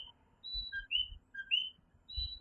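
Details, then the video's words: Tiny coquí tree frogs of Puerto Rico calling after dark in Fajardo, overlapping whistled co-qui notes from a few frogs, each a short tone and a rising higher note, with soft low rumbling noise. "Coquí Serenade | Authentic Puerto Rico Night Sounds"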